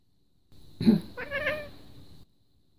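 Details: Domestic cat, female, voicing displeasure when her owner coughs: one drawn-out meow of about a second and a half that rises, then wavers and fades, with a steady faint hum behind it.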